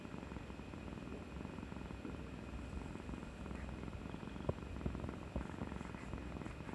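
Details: After her injection on 18 March 2020, the cat Kuri-chan snuggles up affectionately, purring in an even, deep, pulsing drone without pause, with a few soft taps near the end.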